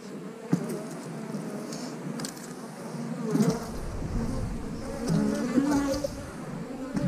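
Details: Honey bees at an eight-frame hive hum steadily in a low drone, broken by a few sharp knocks from hive handling, with faint talking in the background.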